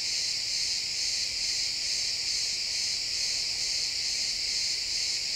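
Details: Sunset in a pine forest, crickets chirping, XY stereo recording: an intense high-pitched, rapidly throbbing insect chorus runs constantly from start to finish, with only faint ambient woodland hush beneath.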